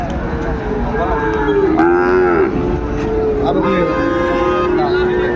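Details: Sahiwal bull calves at the Ambari cattle market in Dinajpur, 27 February, at the start of trading: a drawn-out low moo with a bending pitch, set against steady crowd chatter and market noise.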